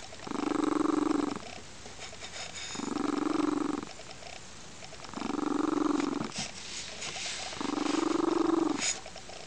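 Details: Loud, cooing purr from Crystal, a lynx-point Siamese foster cat blissing out on a sunny windowsill one weekend afternoon; four strong rumbling phrases of roughly a second and a half, separated by softer pauses, indoors.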